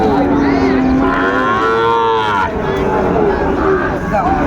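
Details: Sahiwal bull calf at a busy cattle market in Chattogram, Bangladesh, on 20 June 2024: a drawn-out lowing moo that rises and falls mid-clip, over constant crowd chatter and market noise.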